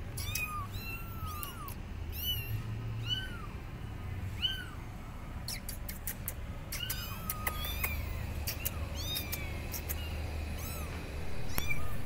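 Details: Abandoned kittens perched on a gate call their mother with loud, rapid meows, short arched cries tumbling one after another from several kittens, over a low rumbling background.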